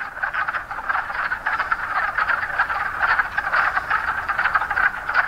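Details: Wood frog chorus in spring woods near a pond along the Appalachian Trail in Pennsylvania, many overlapping hoarse, duck-like clucks blending into a steady rattling din, with faint distant traffic.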